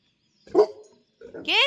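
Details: A dog gives two short barks, the second sharper and higher than the first, as someone is heard arriving.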